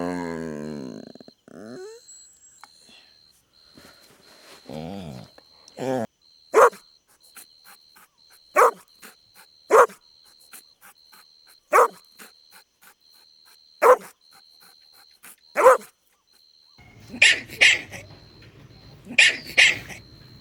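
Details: Golden Retriever puppies at play on green grass outdoors: brief murmuring at first, then sharp single barks spaced roughly two seconds apart, ending in a few closer, breathier yaps over a faint steady tone.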